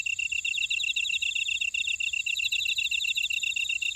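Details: Chorus of field insects in a Jeju buckwheat field, Ora-dong, South Korea: fast regular high-pitched pulses, about four per second, overlapping with a second rippling trill, forming a dense unbroken ringing texture.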